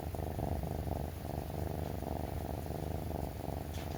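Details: Three-month-old male brown tabby rescue kitten purring as it rubs against its owner each morning while breakfast is prepared; continuous deep, buzzing purr pulsing evenly with inhale and exhale, close and clear in a quiet room.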